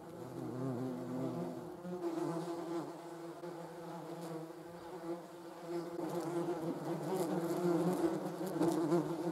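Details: Several German wasps, or yellow jackets, filmed in slow motion: a steady, low, harmonic hum that swells and fades and grows louder toward the end.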